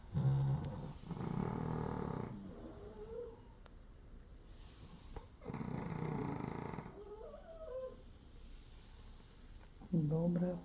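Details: Sleeping Chihuahua snoring at home in Crimea on a cloudy morning, a poodle sharing the house; deep, rasping breaths swell in three main bursts while a woman talks softly between them.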